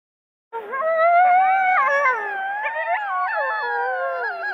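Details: Coyote howls: several overlapping, wavering tonal voices with rich harmonics begin after half a second, bending up and down together into a continuous chorus that runs to the end.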